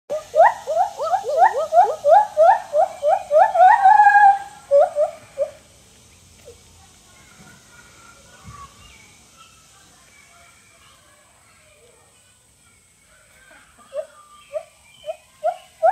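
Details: A friendly White-handed gibbon (Hylobates lar) at a zoo in Jackson, Mississippi gives a fast series of loud, rising hooting notes that climb and quicken.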